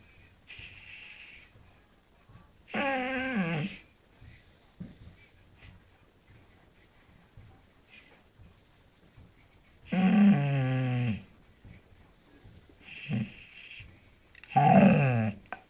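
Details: A Bull Terrier 'talks' to its owner in drawn-out, wavering groans and moans, each lasting about a second, with quiet gaps.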